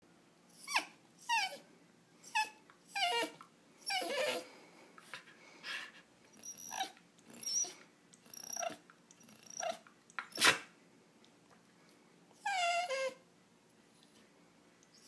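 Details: Indoor pet dog whining because it wants a walk, food or attention, giving a series of short high whimpers about every second, rising and falling, then a pause and one longer wavering whine near the end.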